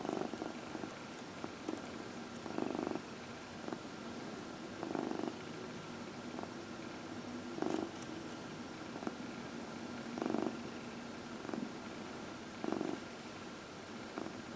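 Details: Fourteen-year-old house cat Dinah purrs during early evening lap time while receiving a massage, April 16, 2020; gentle low rumble rises in regular breath-timed swells roughly every two and a half seconds, quiet room background.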